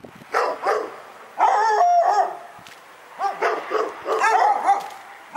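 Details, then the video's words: Domestic dog giving repeated sharp barks mixed with a longer drawn-out, whining yelp, the outbursts arriving in irregular groups separated by short lulls. "Pyrga Barking Nightmare 18"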